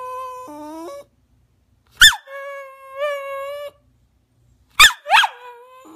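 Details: Rat terrier begging to jump up on the sofa, giving short stepped whines that shift in pitch. Two bursts of sharp high yelps break in partway through, then a further thin whine follows.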